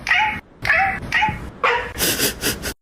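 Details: Cat giving four short, clear harmonic meows in quick succession, each about half a second long with steady pitch, followed by a burst of noisier, breathy sound.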